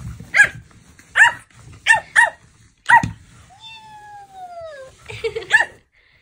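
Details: Playful Pomeranian puppy giving a run of short, sharp, high yapping barks, about one every half second, then a drawn-out whining tone sliding gently downward, followed by a few more yaps.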